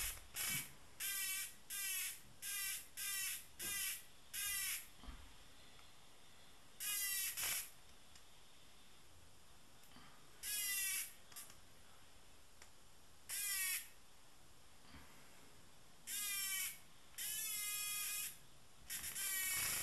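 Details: Tame cicada giving a series of short, evenly spaced rasping buzzes at first, then longer, grating buzz bursts at irregular intervals over a quiet background.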